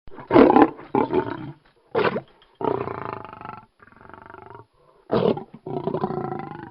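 A lion gives a string of harsh, raspy roaring bursts and longer, moaning growls.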